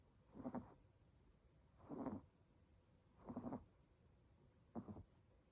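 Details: Chocolate, an 18-week-old Chihuahua puppy, snores loudly in sleep: four rasping, breathy bursts, each about half a second long, repeating roughly every 1.4 seconds, with quiet room tone between them.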